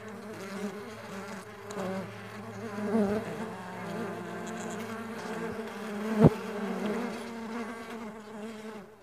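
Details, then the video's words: Farmed stingless bees humming together in a dense, low drone with layered harmonics, a lower droning tone joining briefly early on, and a sudden tap just after six seconds. "Stingless Bee Farming Sound Nature - Relaxing Music With Nature Sounds of Stingless Bee and Buzz."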